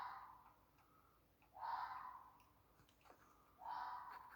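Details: At 2:45am on Friday 14 August 2020 in Millfield, Sunderland, harsh, hoarse screams, each about half a second long and repeated every two seconds; the recorder only guesses it is a red fox.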